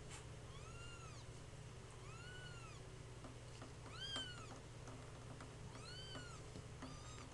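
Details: Two-week-old kittens mewing indoors: thin, high arched cries, each rising then falling, repeated roughly every second or so, several overlapping voices, over a steady low hum.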